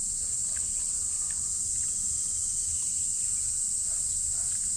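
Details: Noisy cicadas drone as one unbroken, very high, hissing buzz at an even loudness for the whole stretch. Only faint low rumble and a few soft clicks sit underneath.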